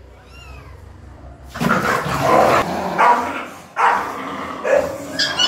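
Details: Angry mother dog attacking another female dog to keep it away from newborn kittens she protects; loud harsh barks and snarls burst in after a quiet start with faint high squeaks, repeating irregularly about every second.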